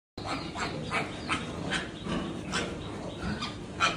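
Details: A big mother pig and her piglets give short, rough grunts and squeaks in quick succession, several each second.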